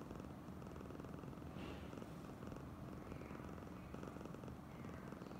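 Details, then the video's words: Oyen, a female cat being overly affectionate, keeps up a deep, rhythmic purr of fast pulses, with a brief soft rustle partway through. "Kucing (Oyen gegirl) terlebih manja"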